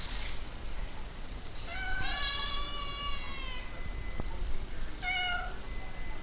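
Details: Formerly stray cat being tamed, giving a long harmonic meow of about two seconds that rises slightly then falls, followed by a shorter meow; steady low background rumble throughout.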